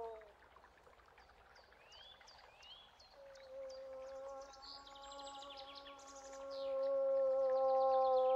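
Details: Against chirping and trilling birds, a moose holds a long, steady, droning moan from about three seconds on, growing louder toward the end.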